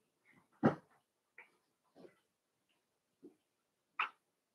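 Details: Cavalier King Charles Spaniel puppies at play in an indoor home puppy pen. One loud, sharp yelp comes early, followed by scattered brief yips and soft whimpers with quiet gaps in a small room.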